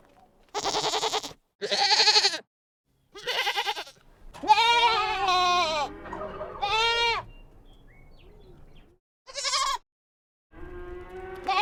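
Young goats bleating in short, wavering, nasal cries, several voices trading calls.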